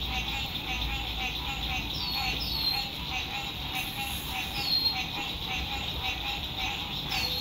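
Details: Frogs chorusing at sunset beside a lake during spring 2021 RV camping in fine weather: a dense, steady high trilling drone with a lower pulsing hum, crossed by short falling bird whistles and faint road rumble.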